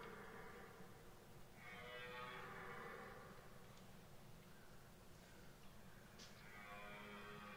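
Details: Red deer bellowing during the 2023 rut in Boutissaint natural park: deep, drawn-out harmonic roars lasting over a second, one in the middle and another rising near the end, over steady background hum and faint insect buzzing.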